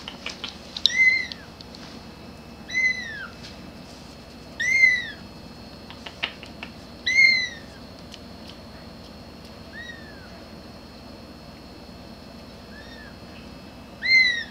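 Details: Cute grey kitten calling for its mama with high, thin, arched meows at irregular intervals of about two seconds, a few softer calls among them, over a low steady background hiss.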